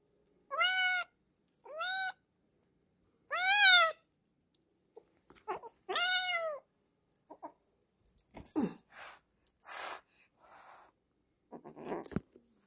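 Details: Hungry rescued kitten, found near a house during a morning walk, crying loudly: four clear, harmonic meows, each rising then falling, spaced one to two seconds apart, followed by rustling, clattering and handling noises.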